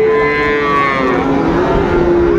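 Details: Cattle at a busy market in Kushtia, Bangladesh, where Sahiwal and Friesian bull calves are being bought, 6 May 2024: a long, steady, droning moo held evenly for over two seconds against a dense background hum of the crowd.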